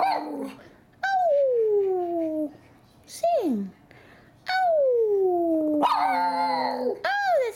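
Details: Pet Miniature Schnauzer talking to its owner, who asks it to sing: long, drawn-out, whining howls that slide smoothly downward, several in a row with short pauses between them. A woman's voice is heard between the calls.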